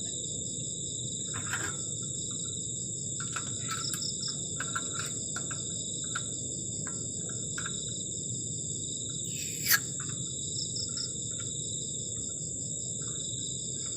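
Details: Crickets on a cold night at a garden shelter on the forest edge: several steady, high, pulsing trills layered at different pitches run throughout, over a low hiss, with scattered clicks and knocks.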